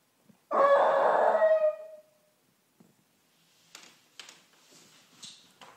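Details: Tommy, a pet Chihuahua in Amsterdam who howls like a wolf on hearing sirens, gives one loud, harmonic, wavering howl of about one and a half seconds, sliding down at its end, followed by faint scattered clicks and rustles.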